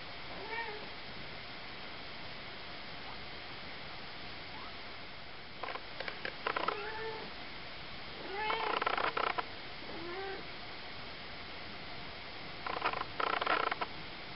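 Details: Three-week-old Ocicat kittens, a litter of four (black silver, chocolate and tawny females, tawny male), give short high mews and bursts of rough, clicky squeaks in a few separate clusters over steady low background hiss.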